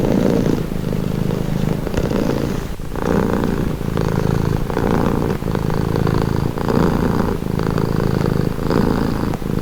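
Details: Relaxing purr from a domestic cat, a continuous low buzzing rumble broken into breath cycles of about two seconds, each inhale and exhale clearly marked, with no background noise.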